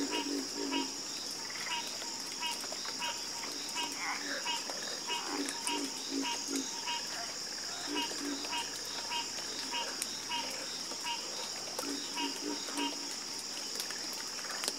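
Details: Chorus of many frogs croaking together, deep rapid croaks overlapping with higher clicking pulses in dense, steady rhythm, over a continuous high whine of insects.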